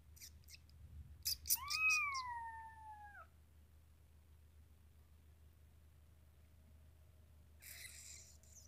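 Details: Khao Manee kitten, a Thai cat breed, giving one clear, drawn-out meow that rises then slowly falls over about two seconds. A few soft clicks come just before it, with quiet rustling near the end.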